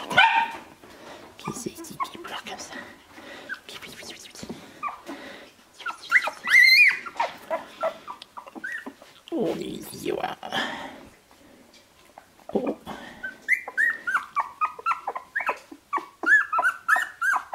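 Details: Shiba Inu puppies of Ichi Hime, born 25 February 2017, at sixteen days old on 13 March 2017: scattered squeaky whimpers give way to a rapid series of short, falling whines, with a human voice talking in between.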